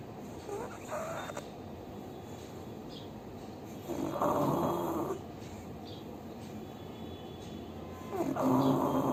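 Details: Pug named Bhuri asleep and snoring: loud, rough, rattling breaths lasting about a second each, coming every four seconds, with softer wheezy breathing in between.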